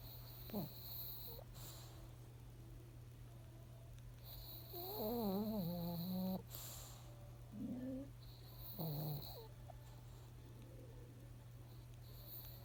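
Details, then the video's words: Female pug Monaka, indoors three months after adoption, sleeping on a black carpet with her face twitching as if dreaming; drawn-out buzzy, rumbling snores, the longest about a second, with shorter snorts between, over a steady low electrical hum. "室内モナカ(パグ♀)_引き取って3ヶ月目 黒のカーペットと顔が同化したモナカ。いびきかきながら顔ヒクヒクしてどんな夢見てるのか、、"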